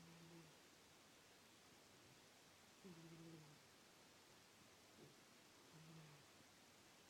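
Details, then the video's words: A pet cat asleep, snoring softly indoors: low, humming snores roughly every three seconds, each a short droning note under a steady hiss of background noise. "Miss snores"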